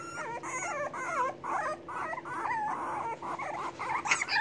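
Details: Hungry English Bulldog puppies waiting for their mother to come feed them, several overlapping high whines and whimpers rising and falling continuously, with a steady low hum underneath.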